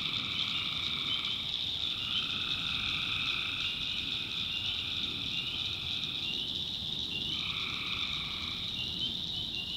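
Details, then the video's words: Many tree frogs calling together at night in a North Carolina swamp; a steady shrill chorus overlaid by lower pulsed calls lasting a second or two, several such bouts. "Relaxing Swamp Sounds at Night - Frog Heaven - Frogs, Crickets, Forest Nature Sounds"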